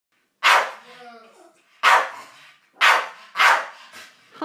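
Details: Staffordshire Bull Terrier named Hans barking at a giant birthday balloon he cannot get to play, four sharp barks spaced about a second apart, one followed by a short ringing echo.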